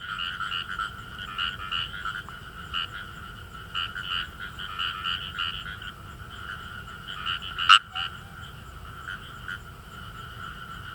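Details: Chorus of Kawamura's rice frogs in paddy fields in northern Saitama Prefecture, Japan, giving fine, rapid 'gue-gue' croaks in uneven bursts, several frogs overlapping, one sharp click partway through.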